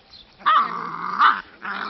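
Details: Dogo Argentino puppies, one giving a sustained low tonal growl with rich harmonics that swells twice and fades, in a short quiet burst.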